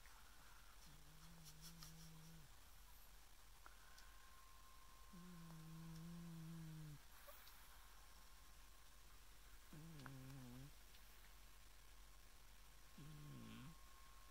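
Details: A sleeping Scottish Fold cat snores softly, with low droning breaths a few seconds apart.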